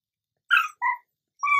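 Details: Begging for chips, a pet dog (female) gives three quick, tonal grumbling whines in a row, each short and slightly falling, a conversational-sounding pattern in a quiet room.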